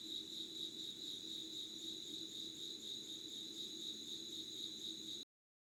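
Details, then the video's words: Unedited pre-dawn chorus of insects, recorded at 5:00 on 25 August 2019 in Yugawara town, Kanagawa, Japan. A continuous high, ringing trill throbs rapidly and evenly over a soft low drone, then cuts off abruptly near the end. "Sounds of insects with candle light.☆ろうそくの灯りと虫の声"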